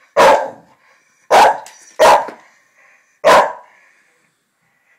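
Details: Two Irish Terriers arguing in May 2010: four loud, harsh snarling barks burst out roughly once a second, each fading quickly, with short quiet gaps between them.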